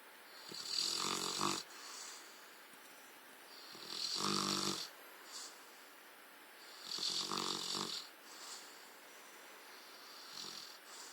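A Rottweiler snores loudly, each rasping breath arriving roughly every three seconds.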